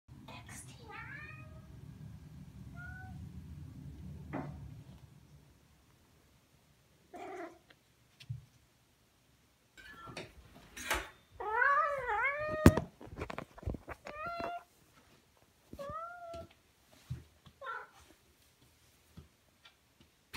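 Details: A male Siamese cat gives a run of loud, drawn-out meows that rise and fall in pitch.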